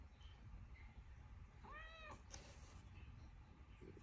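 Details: Michka, a Siberian Forest kitten indoors, gives a single arched meow lasting about half a second, rising then falling with clear stacked overtones, over a low steady room hum.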